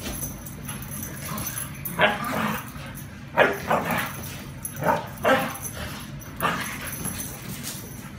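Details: A Border Collie named Luke and a Yorkshire terrier named Luhan play-fight. A series of gruff growls and snarls arrives in uneven bursts about every second, some with whiny yipping edges, against a constant low hum.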